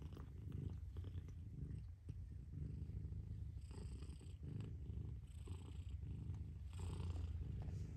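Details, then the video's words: Low rhythmic purring from a mother cat, breaths marked by short dips in the rumble about every second and a half, with faint soft rustling. "Mother Cat Purrs"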